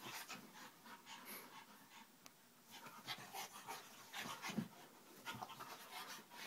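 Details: Vinnie and another dog wrestle playfully indoors at home, panting in rapid, airy puffs with intermittent snorts and a brief low grunt toward the end.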